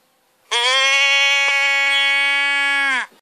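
A sheep gives one long, nasal bleat, held steady for over two seconds before dropping away.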